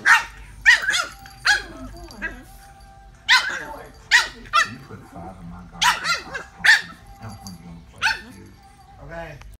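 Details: French Bulldog giving gremlin-like noises, a string of squeaky yaps and moaning grumbles at irregular intervals, mixed with someone speaking and faint background music.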